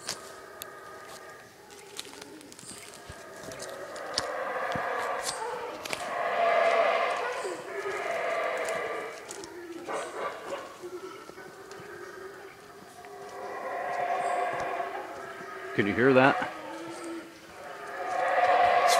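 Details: In the jungle around the Tikal ruins in Guatemala in January, howler monkeys roar in long, rasping swells that rise and fade while people follow them and a man talks nearby.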